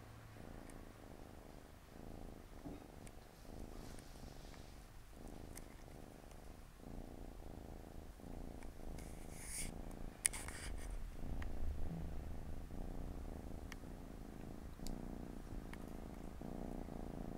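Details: Siamese cat family, four kittens with their mother, resting and playing on a Saturday afternoon; low continuous rumbling purr with steady breath cycles of inhale and exhale, a few faint clicks and rustles over it.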